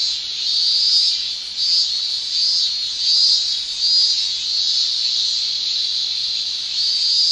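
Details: Summer chorus of Japanese cicadas, males singing with their tymbals: a steady high-pitched shrill that surges and eases in uneven waves about once a second.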